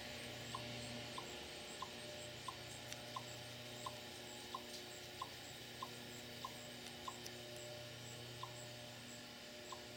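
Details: A chipmunk in a rose bed in Lenexa, Kansas, in September 2014 gives a steady series of short, sharp barking chips as an alarm call, most likely warning relatives about a hawk.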